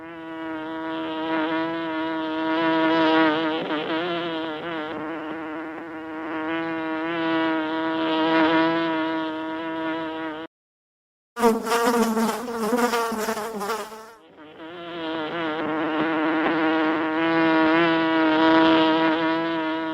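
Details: Honey bees at a large village honeycomb being harvested in India buzz steadily in a dense, droning hum with a rich, reedy tone.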